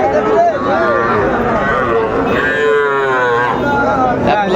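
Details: Sahiwal breed bull at a busy cattle market, Raniganj hat in Dinajpur district, Bangladesh, on Monday 6 January 2025: drawn-out lowing moos with wavering pitch, heard over a steady murmur of crowd voices and bargaining.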